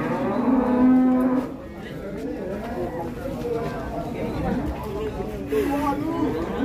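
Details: Cattle sold at an Indonesian livestock market, one very large; a sustained low moo with rich harmonics holds for about a second early on, followed by farmyard noise and a second shorter moo near the end.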